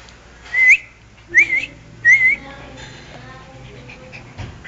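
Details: Herbert, a pet Shih Tzu, gives three high, whistled whimpers that slide up and then down, spaced under a second apart, before a quieter stretch with low background hum.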